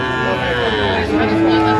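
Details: Sahiwal bull at a busy livestock market in Manikganj, Bangladesh, 26 January: a drawn-out, steady, low moo that holds its pitch, with men talking and haggling close by and crowd chatter behind.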